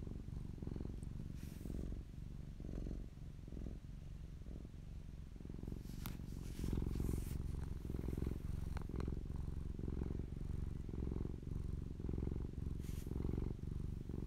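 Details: Close-up purring of a fluffy domestic cat named Popolina: a steady low rumble pulsing with each breath, roughly one cycle per second, with a few faint rustles and soft clicks from handling.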